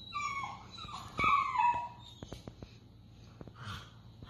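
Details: Briard pups four weeks old playing with their mother Honor indoors; a cluster of high, wavering whines and squeals in the first two seconds, then scattered clicks and soft yips.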